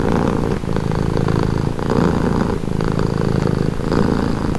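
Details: Domestic cat purring steadily, a low rumbling buzz that swells and eases in breath-length cycles of about one second, each inhale and exhale phase marked by slight shifts in tone; no other sounds stand out.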